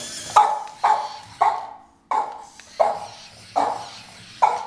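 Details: Two Boston Terriers reacting to a remote control toy skunk indoors: seven loud, ringing barks come in quick bursts about every half second to second, each bark clipped and mid-pitched, with a short pause midway.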